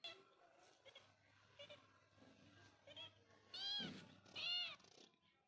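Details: Cat or kitten giving soft, faint mews early on, then two loud, clear meows near the end, each arching up and down in pitch, over a quiet indoor background with a low hum.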